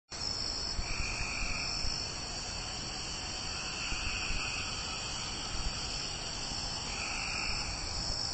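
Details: Cope's gray treefrog (Dryophytes chrysoscelis) giving harsh, buzzy trills about a second long over steady insect hum, recorded in Marrero, Jefferson Parish, on 2 May 2016.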